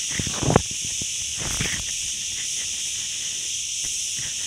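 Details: Crickets droning in woodland on the road from Ourtzagh to Ghafsai, Taounate province: an unbroken, piercing high buzz runs throughout, while a cluster of louder low knocks and rustles comes early on, then fainter taps.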